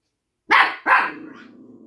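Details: Little dog in an apartment gives two quick, loud, rough barks in succession, the second trailing off into a brief fading growl-like tail.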